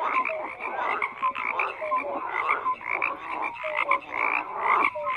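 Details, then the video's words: Frogs croaking together in a thick chorus, many animals overlapping, with brief clear tonal notes repeating every half second or so above a steady buzzing wall of pulsed calls. "FROGS CROAKING"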